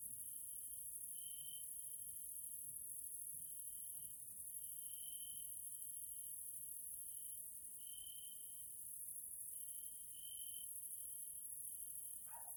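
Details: Hungarian grasshoppers in the evening in a Central European natural area: an unbroken high shrill buzz overlaid by a pulsing trill that swells and fades in short bursts, with one brief click near the end.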